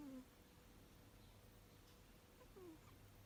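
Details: Sleeping six-year-old Abyssinian cat Runrun snores softly: a short, slightly falling whistled breath at the start and another about two and a half seconds later, over a constant low hum.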